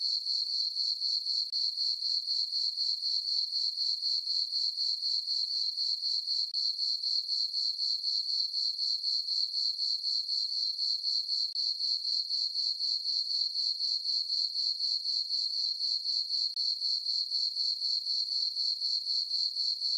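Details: Crickets at night in a farm meadow, full moon, summer: continuous bright chirping in a tight, regular rhythm near four pulses per second, a single sharp tone with a clean, quiet background.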